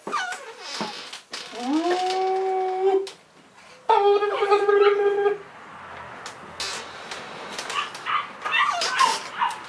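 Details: Cavalier King Charles Spaniel puppies, three in March 2014, indoors: a whimper rising into a long steady howl, a second sustained howl, then softer overlapping yips and whines.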